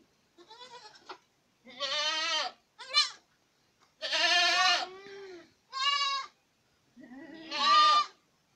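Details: Boer goats in Acatlán de Osorio, Puebla, bleating loudly and often, with strained, wavering cries of half a second to a second, one after another with brief pauses, some harsh and some tremulous.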